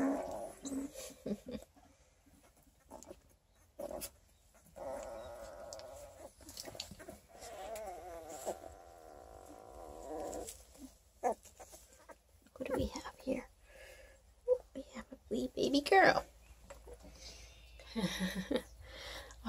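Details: Twelve-day-old Redtick Coonhound x Black & Tan Coonhound cross puppies from a litter of eleven, eyes not yet open, near Kingston, Ontario, Canada; high wavering whines and whimpers, one long drawn-out cry mid-clip, with soft human talk around.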